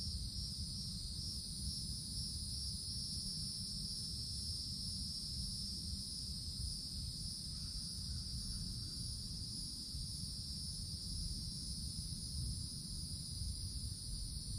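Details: Cicadas in summer woods beneath the forest canopy, giving a steady, unbroken high-pitched buzzing drone in two bright bands that never pauses through the clip, over a constant low rumble resembling wind or distant traffic.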